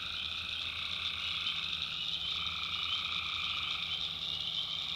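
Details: North Carolina backwoods swamp at night, tree frogs recorded by the maker: an even, dense chorus of high droning calls over a steadier lower trill, with a faint low rumble in the background.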